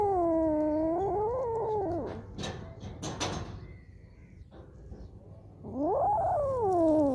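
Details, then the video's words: Cats and kittens meowing: a drawn-out meow that dips then rises over two seconds, soft rustling in between, and a second bright meow that rises sharply and trails downward. "Cats Kittens Meowing Compilation 2021| Meowing Cats |Kittens Funny Meow Sound"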